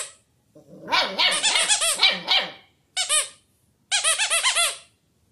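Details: Puppy giving high, squeaky yelping barks, a long run of overlapping strained yaps followed by two shorter bursts of rapid, arching squeals after brief pauses.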